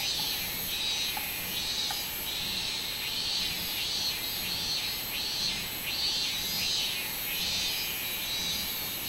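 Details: Robust cicada (minminzemi) singing on 24 July 2016: a loud buzzy high-pitched drone pulsing in regular surges, a little over one per second, with a steady continuous hiss of further insect noise above it.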